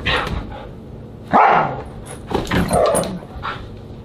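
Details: Siberian Husky at dinner, recorded July 24, 2022; a loud harsh harmonic vocal burst near the middle, then a second rough, wavering bark-like outburst and softer yips, over low indoor room hum.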